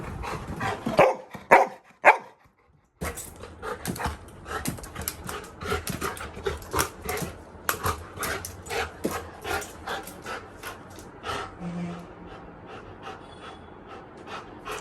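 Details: Little John the Labrador Retriever, eager for a midnight walk, barks a few times early on, followed by a brief silence and then a long run of quick rhythmic panting and shuffling against background noise.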